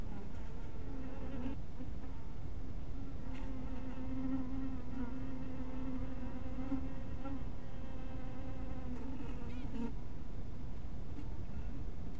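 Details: Honey bees humming at their hive in crepuscular light, a sustained buzzing tone that swells and slightly rises in pitch midway, with faint tapping sounds around it.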